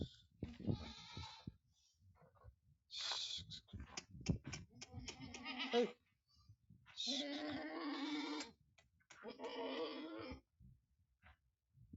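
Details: Small goat kids kept on a farm in Aurangabad, Maharashtra, India, giving a short bleat, then two long, steady, nasal bleats lasting over a second each, with handling noise and murmured speech early on.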